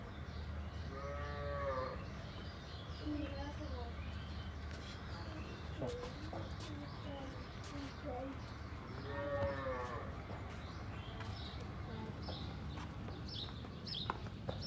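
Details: Cows on a village farm, led into the shed for the evening, give two separate harmonic moos about eight seconds apart, with knocks, clicks and low human voices between them.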